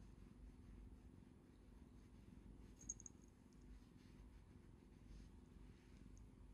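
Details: Affectionate cat rubbing its face on a hand and reaching out with its paw pads, purring; a continuous, soft, low throbbing purr with a brief faint rustle near the middle.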